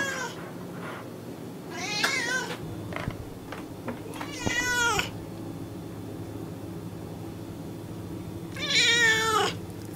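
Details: Three separate meows from an American house cat, spaced a few seconds apart, each a rich harmonic wail, the last the loudest and longest, with faint clicks and low background hum between them.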